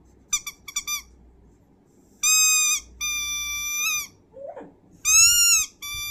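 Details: Dog howling in long, high, level tones with many stacked overtones, held about half a second to a second each, after a few short rising yelps; a brief lower whine between calls.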